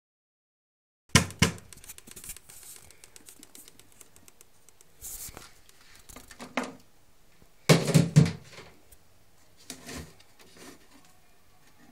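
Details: Scratching, tapping and handling noises fill a small indoor room, with no clear animal voice. Louder bursts of rustling come and go against a quiet background.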